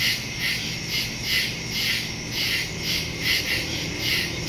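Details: Crickets calling in the woods at night, September 2, 2023, phone recording with stereo microphone; bright high chirps pulse roughly twice a second above a constant shrill trill and faint low background noise.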